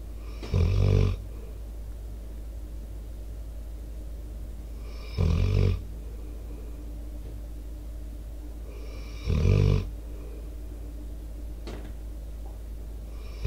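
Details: Sleeping Pitbull Debo, a four-year-old American Staffordshire Terrier mix, breathing into a microphone with outdoor sounds behind. Three deep, rumbling snores come roughly every four and a half seconds, with quiet steady background hiss between them.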